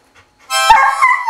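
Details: Australian Cattle Dog howling the blues, a short rising vocal burst that jumps in and holds a bright wavering tone with rich harmonics.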